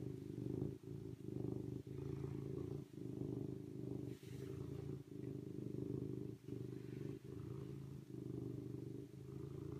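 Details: Rhythmic serval purr, a coarse low drone that stops for a moment roughly every second, giving an even in-and-out pattern across ten seconds. A faint higher hiss is heard partway through.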